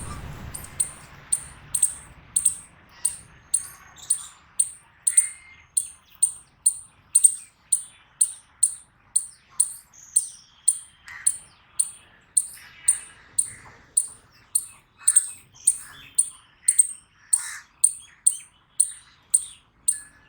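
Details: Eastern chipmunk giving a long, steady series of sharp, high-pitched chips, one roughly every 0.6 seconds, about thirty-three in all, evenly spaced; a faint low rumble opens the recording, and the background is otherwise quiet.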